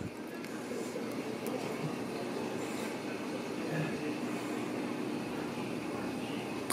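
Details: Steady rumbling of a train or vehicle in motion, with faint speech and occasional squeals and clicks; no animal voice is heard.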